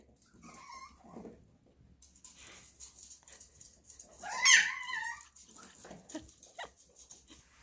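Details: Baby poodle puppy indoors screeching when it hears food being served: strained, harmonic whines rise to a loud, shrill squeal midway, then fall to short yelps, with a person speaking and small room sounds.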